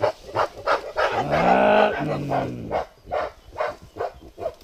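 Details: A mountain gorilla in Volcano Park, Rwanda, gives a drawn-out, harmonic hooting cry amid rapid rhythmic thumping bursts.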